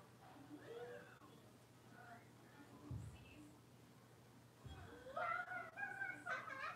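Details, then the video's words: Blenheim Cavalier King Charles Spaniel puppies, a litter of five born on New Year's, playing in their indoor puppy pen; quiet opening, then a burst of high, wavering, harmonic whines and yelps rising and falling in the last two seconds, over a steady low hum. "Cavalier Puppies Livestream: Playing, Barking, and Learning"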